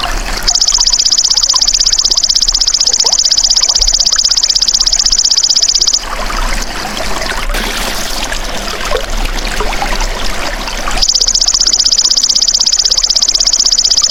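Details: Golden grasshopper, natural insect sound used to train songbirds: a sustained, rapidly pulsing high buzz, broken in the middle by several seconds of rushing, trickling water-like noise, then resuming.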